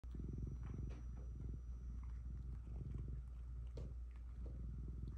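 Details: Domestic cat purring during a therapy session at home, a steady low rumbling purr with pulsing bursts throughout, with faint rustling in the background.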